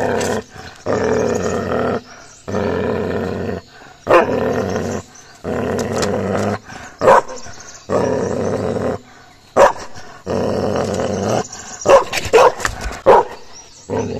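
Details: Aggressive Gaddi dog puppy during a fight with another dog, giving a series of sustained rumbling growls one to two seconds long, broken by brief gaps and occasional sharp clicks or snaps.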